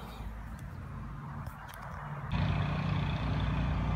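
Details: A big, chubby cat purring while happily rolling around in the grass outdoors; a low, steady rumbling hum swells in loudly halfway through and continues evenly to the end, over faint rustling and background noise.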